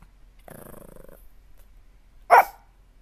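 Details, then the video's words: Dog making a short rumbling, pulsed growl, then after a pause one loud, sharp bark in a quiet room. "Dog barking"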